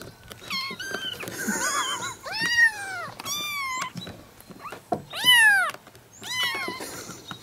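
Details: Kittens give a string of thin, rising-and-falling meows, some wavering or quavering, spaced unevenly about once a second against a faint background hum.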